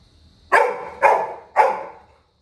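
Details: Three loud, tonal yelps half a second apart, each fading with a drawn-out tail, from Little John, a Labrador Retriever puppy crying in a village after his brother left the house.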